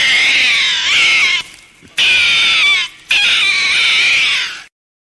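A raccoon gives three high, wavering, harmonic squealing calls in quick succession.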